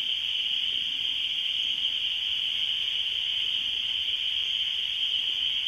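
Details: Spring peeper. Many spring peepers call together, their high, piercing peeps merging into a continuous shrill ringing. The chorus holds steady throughout with no other clear sounds.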